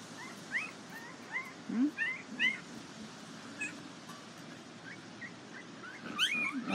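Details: Border Collie puppies from a Nell x Skeet litter at the International Peace Gardens, 12 August 2018, whimpering outdoors: many short high squeals, some rising and some falling, scattered through the clip over a low background hum.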